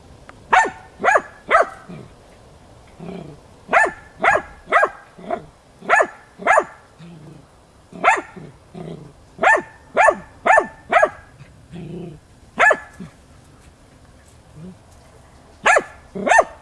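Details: A hunting dog named Tina bays persistently at young wild boar while training, March 2013; irregular bursts of sharp barks, often in runs of two or three, with low grunts and brief pauses between.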